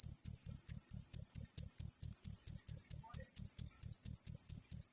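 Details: Cricket from the wild, kept as training audio for songbirds, chirping in sharp, high-pitched bursts repeated about three and a half times per second in an even rhythm, nothing else audible.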